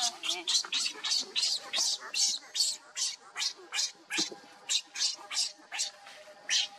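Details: Hungry baby monkey crying and begging its mother for milk: a rapid run of shrill, harsh, high squeals, about two to three per second, fairly irregular, with faint low background sounds.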